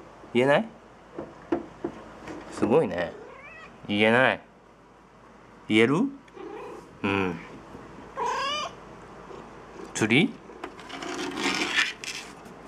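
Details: Domestic cat indoors, heading to a closet for his toy fishing rod and calling out a word heard as "tsuri", meaning fishing; a string of short, bending meow-like cries in bursts over twelve seconds, some rising and falling, with a person speaking.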